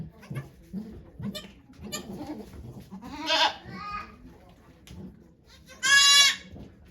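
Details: During Okayu the goat's delivery of two kids at Yoshigake Farm on 3 May 2023, people murmur in the background before a brief bleat and then a loud, sharp, quavering bleat near the end.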